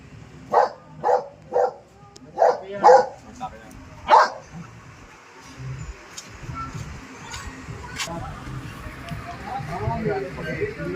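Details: Dog on a road in the Philippines, reportedly convulsing and possibly attacked; six sharp barks in the first four seconds, then people talking and background noise.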